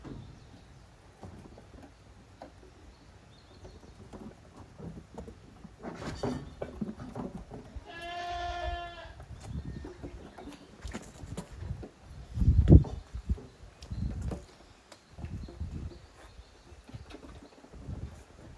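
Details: Young goat kids playing vigorously in the exercise yard at Yoshigake goat farm, 30 April 2023. A single clear, wavering harmonic bleat stands out midway, surrounded by thumps, scuffling hooves and low rumbling background noise.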